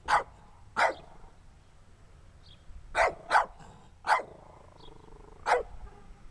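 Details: Small dirty dog barking in sharp, short yaps, seven barks at irregular gaps of about half a second to a second and a half, with an owner cheering it on between barks.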